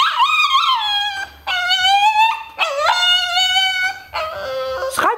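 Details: Pet dogs "talking" to their owner. Four drawn-out, whining howls, each with a wavering or slightly falling pitch, separated by short pauses. Dutch speech is heard around them.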